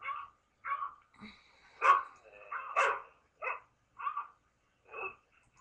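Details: On December 24, 2011, a dog reacts to barking dogs by barking in short, irregular bursts, with sharp mid-pitched yips and woofs.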